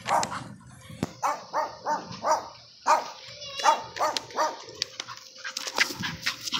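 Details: An American Bully, off leash in an encounter with a neighbor's dog, gives a run of short, mid-pitched barks, irregular and sometimes breaking into yips.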